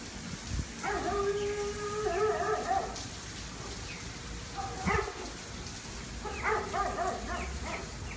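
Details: Dog howling after trying to catch a squirrel for four hours: a long, steady, tonal wail lasting about two seconds, followed by shorter sliding yelps near the fifth and seventh seconds over a low background rumble.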